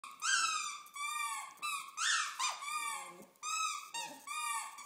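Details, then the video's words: Pet dog singing indoors, accompanied by squeaky toys: a series of drawn-out, wavering howl-like notes with rich harmonics, some sliding upward, several phrases separated by short breaths. "Coop sings"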